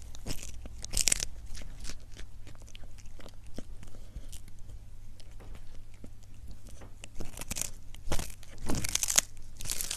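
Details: A cat chews and crunches food for ASMR: scattered clicks and tearing bites, with a few louder bursts of crackling noise, over a constant low hum.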